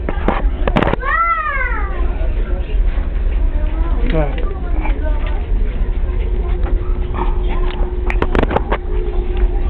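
A Shiba Inu puppy gives a brief arched whine that rises and falls, with people talking nearby.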